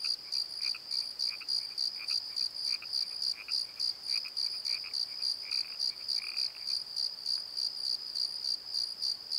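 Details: Night chorus of crickets in a valley bottom at the Pozo tree: steady high pulsed chirps, roughly three per second, ringing with an upper overtone, while fainter lower chirps come and go, briefly denser near the sixth second.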